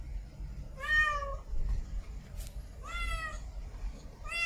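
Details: A female domestic cat in heat calls to mate with two long meows, the first dropping in pitch at its end, plus the start of a third, against a soft low-frequency background.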